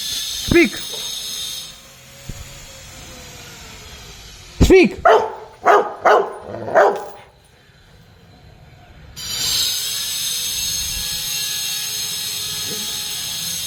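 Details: Rottweiler kept as a pet, playing with a ball, lets out an opening bark, then a rapid burst of five barks midway, followed by quiet and then loud background music.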